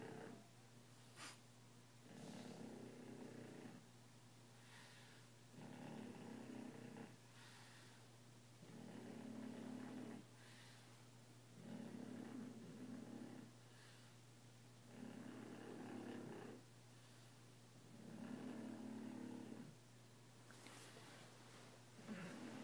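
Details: French Bulldog asleep and snoring steadily, a rough buzzing snore roughly every four seconds with quiet gaps between breaths, a faint low hum running throughout; the owners use a sound machine to drown it out.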